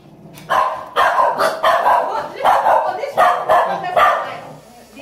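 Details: Overprotective female Scottish Terrier barking in territorial aggression after a recent biting incident: six or seven harsh, loud barks in quick succession over about four seconds, each with a strong ringing tone and a short gap between.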